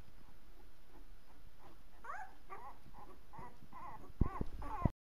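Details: Twelve-day-old Labrador Retriever puppies taking their first steps: thin squeaks and whimpers, each rising then falling, come in a quick run over the last three seconds, with soft thumps near the end over a steady faint hiss.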